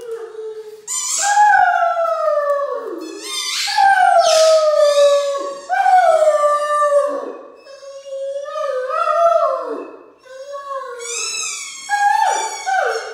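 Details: Two Great Danes in a morning sing-along: Mikey howls in long, wavering, sliding tones along with a squeaky toy that Ellie squeaks in sharp bursts.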